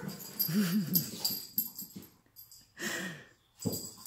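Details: Jug dog acting wild after a bath gives a wavering, whiny grumble lasting about half a second, then snorts, wheezy breaths and short rough huffs separated by brief pauses.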